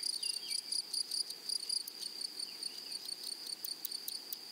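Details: In a flowery meadow, grasshoppers give short high buzzy chirps in quick series, fading slightly later, while a distant bird adds faint descending whistled notes.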